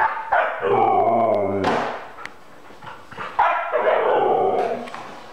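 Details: Siberian Husky named Luke, excited with another dog, Obi, about going for a walk, gives two drawn-out, wavering whine-howls, each over a second long, with a brief sharp yip between them, indoors.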